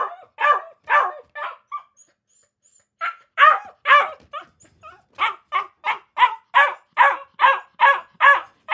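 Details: Akita puppies give high-pitched yappy barks, a few at the start, a brief quiet gap, then a steady string of sharp barks roughly two per second to the end.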